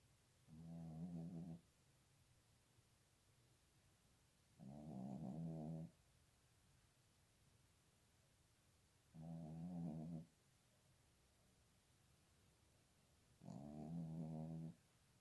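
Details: Dog howling in cold winter weather: four steady, harmonic moaning notes, each about one second long, repeated roughly every four seconds with quiet pauses between them.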